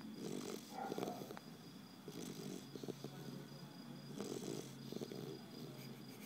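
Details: A 3-month-old Basset Hound puppy snores in its sleep, each breath a low, raspy rattle with a soft snort. The snores come in a steady rhythm, roughly every two seconds.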